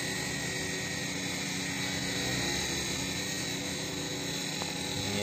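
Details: Loud, steady motor drone like a helicopter or power tool; no animal sound is heard.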